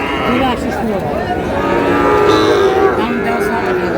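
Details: Sahiwal bull calves at a cattle market, bought by a farmer from Sherpur on 4 March 2026; drawn-out lowing moos with harmonic layers rise over a constant din of market crowd chatter and people talking.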